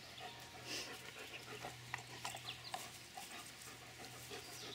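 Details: Ellie, a Shetland Sheepdog puppy, excited at a family member's arrival at home. Faint, quick breathy panting and scattered soft clicks and scuffs run through the clip over a low steady hum.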